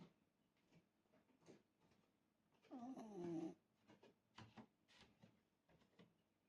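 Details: Shiba Inu named Hime snoring indoors: faint soft breaths, then one loud, rough, throaty snore lasting under a second midway, followed by quieter breathy pulses.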